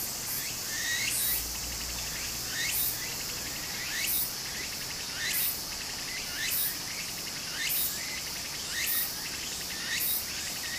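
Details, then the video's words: Cicadas singing in summer beside a stream in Japan: a steady high hiss runs throughout, with sharp rising buzzy pulses bursting out about every 1.3 seconds, over a soft wash of flowing water. "小川の流れと蝉の声 自然音 ～夏～ Japan Sound of nature Cicada's voice"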